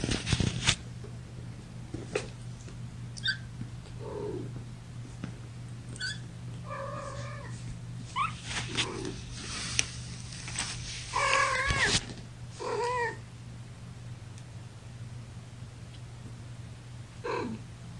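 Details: Kittens from mother cat Gamora's litter of five, born April 14th, lying in a lap on May 10, 2018. Thin, wavering mews with bright stacked overtones come in scattered short bursts, some rising then falling, over a steady low hum and soft rustling.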